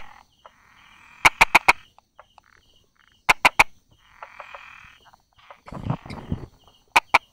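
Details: Brauer's tree frog tucked beside rock crevices and small grass, 22 July 2016 at 10:44. There are short bursts of three to four sharp tapping clicks, a few seconds apart, between softer buzzy sounds and some rustling.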